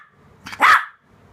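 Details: A 3-month-old Shih Tzu puppy doing tricks gives a single short, high, yappy bark on the command "speak".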